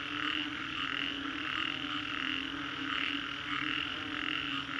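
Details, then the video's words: Post-storm frog chorus at the Green Corridor, Singapore. Numerous frogs croak at once, and the massed sound swells in beats about every two-thirds of a second over a steady low drone. "Frogs after Storm, Green Corridor, Singapore"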